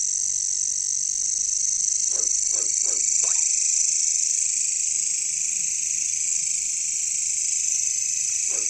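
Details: Katydids calling in jungle: a constant, shrill, high buzzing chorus, with a burst of four quick low frog-like croaks partway through and a single similar croak near the end.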